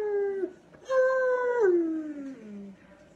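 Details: Dog giving a sustained howl: a short falling cry, then a long steady tone that drops stepwise and fades at the end.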